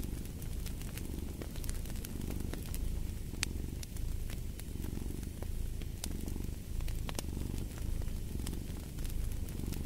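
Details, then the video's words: Soft, low purring of a cat pulsing gently in breath-length waves beneath the snapping and popping of a fireplace. "Purring of a Cat"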